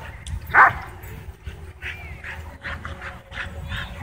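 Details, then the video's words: Dogs excited by a DJI Mavic 2 drone at a dog park: one loud, sharp bark stands out early, followed by several fainter yelps over a low rumbling background. "DJI Mavic 2 Drone Whips Dogs Into Wild Frenzy At Dog Park"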